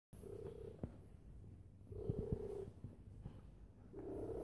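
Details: Domestic cat lying down and purring very loudly indoors: a steady low rumbling purr with brighter swells around 0.4, 2.1 and 4.1 seconds, broken by a few sharp clicks.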